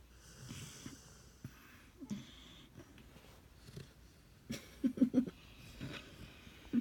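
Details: Cody the dog asleep and snoring, giving soft wheezy, nasal breaths with brief squeaky catches near the end, separated by quiet pauses.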